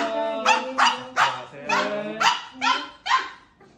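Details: Recovering in hospital after cruciate ligament and spay surgery, Maltese Dubu protests wanting to leave with her owner: seven loud, sharp, whiny yelping barks in quick succession, roughly every half second, fading at the close.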